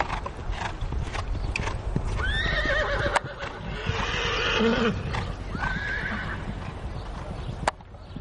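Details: Horse, a nine-year-old mare at an L-class jumping competition, lets out descending whinnies twice amid thudding hoofbeats, steady arena crowd noise and a loudspeaker announcer.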